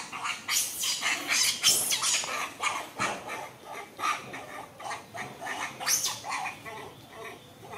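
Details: Monkeys, identified as macaques, battling in a tree and biting each other; a dense run of harsh broadband shrieks and squeals, several per second, rising and falling in loudness throughout.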